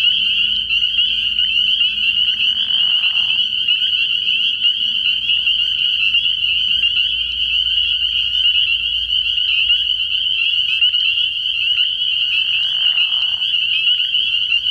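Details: Spring peepers chorusing at night from a frog pond early in the year: a dense, continuous wall of high piping peeps merging into one steady ringing band, with brief lower buzzy bursts near three and thirteen seconds.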